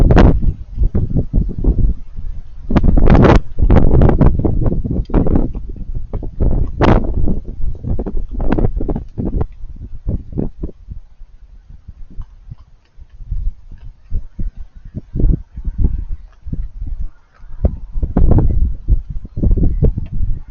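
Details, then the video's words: Raccoons eating with crunchy noises: rapid, irregular crunches and munching clicks, heavy in the low range, with louder bursts early on and softer chewing through the second half. "Raccoons Eating & Being Cute - Cute Lil Crunchy Noises While It Eats"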